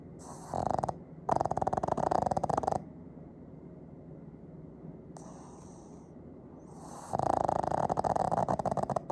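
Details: Fujiko, a two-year-old pet Pug, snoring loudly, recorded on an iPhone 15: two rattling, buzzy snore bursts, each about two seconds of rapid fluttering pulses, separated by several seconds of quiet breathing.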